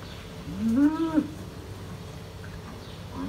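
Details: Hereford bulls fighting on a New Zealand dairy farm; one short moo rising then falling in pitch, fairly quiet over a steady background hum, with the start of another call at the end.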